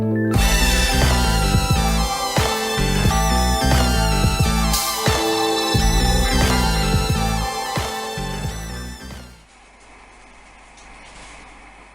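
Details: Upbeat instrumental music with punchy repeated chords and a steady beat, cutting off near nine seconds into a low, quiet room hum with no animal sounds.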